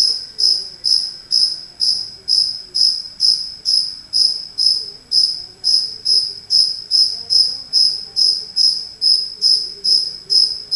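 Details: Indoor cricket, a small one that entered a house, chirps continuously: high, ringing pulses repeated evenly about twice each second without a break, strong and steady against a faint low hum.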